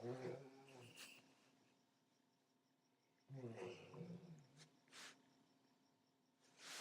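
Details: An old Golden Retriever named Sparky sleeps and snores loudly. Two guttural, vibrating inhalations come roughly three seconds apart, each followed by an airy, hissing exhale through the nose. The indoor background is otherwise quiet.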